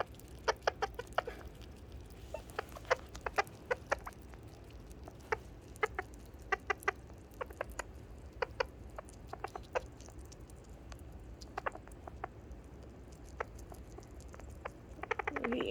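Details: A leucistic sugar glider gives short, sharp chirps in irregular bursts, a happy contented sound.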